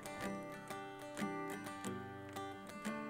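Plucked guitar-like music with steady repeated notes and no animal sounds.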